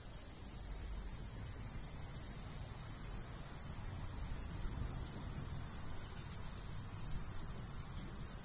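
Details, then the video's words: Summer countryside crickets by a golden wheat field trade rapid, high chirps, two slightly offset pitches interleaving, while a gentle breeze hums low and steady. "Countryside/cricket sounds"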